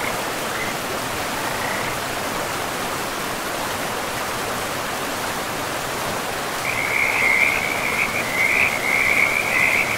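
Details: Frogs calling beside a river in a pristine, moss-covered forest; after a few short early notes, a rapid rattling trill starts about two-thirds through and continues to the end over a steady rush of flowing water.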